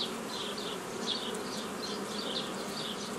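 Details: Honey bees humming steadily while nucleus colonies are formed the old way from a previously gathered forager swarm, 15 May 2018: a dense, even drone with faint high chirping flickers overhead throughout.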